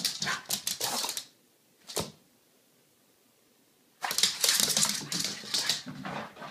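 A French Bulldog lets out rapid, raspy yelps and grumbles in two excited flurries.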